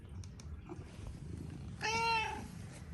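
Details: Male Persian cat, a talkative house cat living in Amsterdam city center, greeting its owner as she returns home: a single clear, drawn-out harmonic meow rising slightly and then falling, over a faint low room hum.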